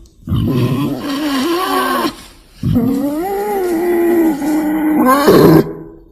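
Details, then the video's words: Lure call of wild boar for ambush hunting: two long, harsh, groaning squeals of about two and three seconds, the second bending upward and ending in a sharper, higher cry. "SUARA PIKAT BABI HUTAN"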